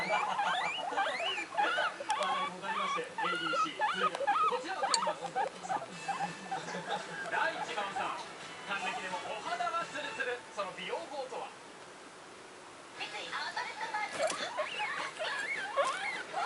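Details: Three indoor pet guinea pigs, the youngest two just a month old, excitedly calling in high wavering squeals at about one and a half per second, a short quieter gap near the end, while television voices and music play behind.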